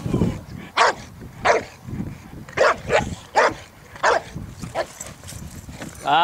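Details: Boxer training for character tests (APE and Sélection) at the Centre d'Education canine et sportive de St Georges d'Orques: a steady run of about eight loud barks, roughly one every half to one second, between a handler's spoken words of praise.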